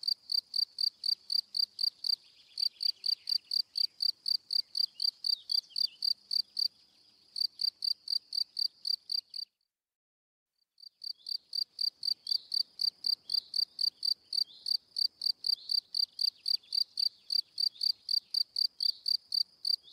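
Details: Cri cri of a cricket: rapid high chirps about four each second, with short gaps near three and seven seconds and a full second of silence around ten seconds before the chirping resumes.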